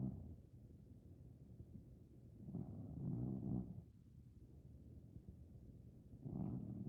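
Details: A sleeping Maine Coon cat, over 15 years old and possibly dreaming, snores in soft, low, rumbling breaths.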